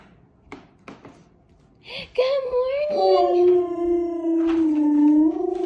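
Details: Leo, a Siberian Husky puppy, 'talking' in the morning at waking: a few soft clicks and snuffs, then a long, wavering, howl-like vocal tone that rises slightly and is held for over three seconds, indoors.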